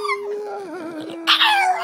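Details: Pet dog singing along, a long steady tonal howl that wavers slightly, then breaks into a higher, rougher yelping wail near the end, with music playing.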